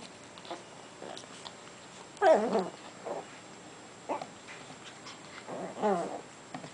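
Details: Japanese Chin puppy mouth wrestling with its big brother, another Japanese Chin: short, grumbling growl bursts near the start and again toward the end, separated by quieter scuffling and brief small yips against a calm indoor background.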